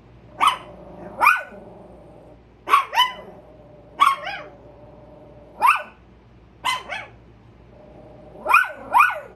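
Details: Alert barking at a squirrel from two Chihuahuas, Carmen and Tia: high, sharp yaps arriving singly and in doubled bursts roughly every second, about a dozen in all, over a constant low hum.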